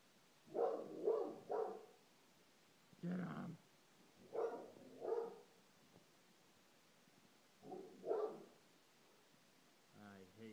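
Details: Dog barking at the clock at 7:30 indoors: muffled barks in short clusters, three quick ones, then singles and pairs spaced a few seconds apart, with a man's voice at the end.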